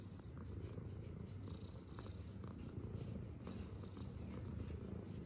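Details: Close, deep purr of a tuxedo cat during love bites, a steady rumbling vibration with regular pulsing beats and a few small clicks and rustles in between.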